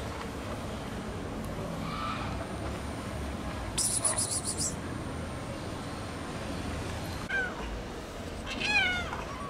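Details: Stray cat in Istanbul waiting for breakfast with other cats; faint meows early on, then two clearer rising-falling meows near the end over steady street rumble and a thin high tone.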